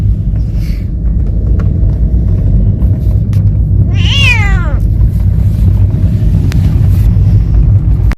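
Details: On a first-ever sightseeing ride, a talkative cat lets out one clear meow that rises briefly and then falls away, with low vehicle rumble droning throughout and faint clicks.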